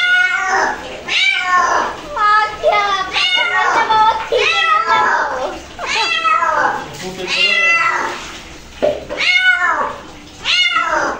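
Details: Domestic cat reacting to being bathed indoors, giving a near-continuous run of loud, wavering, drawn-out meows that rise and fall in pitch, roughly one per second, with a human voice speaking at times in the background.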